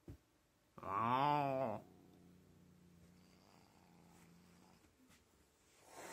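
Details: Fat domestic cat, angry and refusing to be petted or massaged, lets out a single wavering, moaning yowl about one second long, then a low steady growl rumbling for several seconds.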